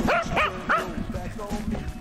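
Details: Welsh Corgis, one of eight kept by a couple in a countryside village, calling out at any time of day in a common scene at home: three sharp, rising-then-falling barks in quick succession, then softer, shorter yips trailing off.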